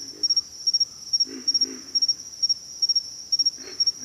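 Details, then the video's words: A pig frog gives a few low, gruff grunts, a pair near the middle and one near the end, with a steady shrill pulsing insect chorus filling the background. "pig frogs - sound effect"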